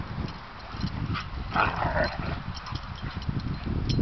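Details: Irish Wolfhound pups, under a year old, play-fighting in a neighborhood common area: continuous deep, rumbling growls and snarls with a few higher whiny yelps, sounding fierce though the pair are having a great time.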